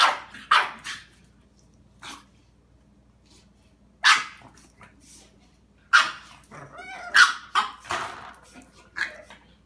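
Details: Pet dog confronting a cat, giving scattered loud barks with longer pauses, some doubled, plus a brief whining, wavering yelp in the middle and a faint low hum throughout.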